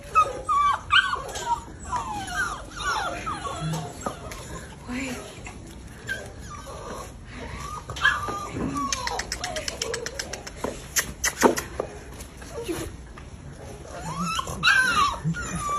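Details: American Bully puppies, recently adopted, giving high thin whines and whimpers that rise and fall in short bursts, scattered through the stretch, over Russian speech, handling clatter and brief clapping.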